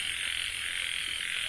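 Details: Frogs calling at night in a breeding pond at 9:00 p.m., ten breeding females released today with twenty males to mate; a dense, steady, high buzzing chorus fills the whole stretch without pause.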